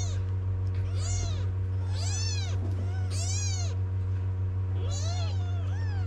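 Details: Crying kittens calling their mother to nurse, from stray cats living on a Moroccan street; four or five drawn-out, arching mews, some overlapping, with a persistent low droning hum beneath.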